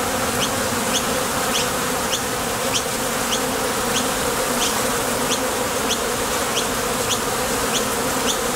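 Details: Foraging honey bees at the entrance of a top bar hive, flying off for nectar and landing again; an unwavering, rich humming buzz throughout, with soft high ticks spaced at roughly half-second intervals.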